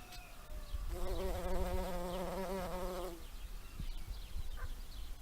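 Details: A bumblebee collecting pollen gives a low, steady droning buzz that swells for about two seconds and then fades, with faint bird calls and rustling in the background.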